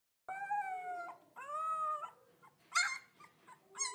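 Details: Wolf pups howling: short tonal wails under a second long, each holding a steady pitch before dropping off. A thinner, higher whine and a brief squeal follow.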